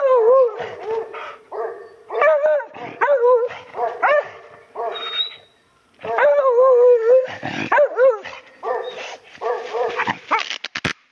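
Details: Hunting dogs on a walk at Oyama Pass, Japan, barking toward ferns where a wild boar is hiding; sharp, high barks and yips in rapid bursts with brief whining tones, a pause near six seconds, then renewed barking.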